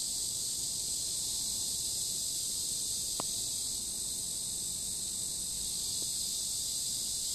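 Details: Cicadas singing beside a river on a warm summer day, 23 July, fill the air with a steady, high, hissing buzz that never lets up.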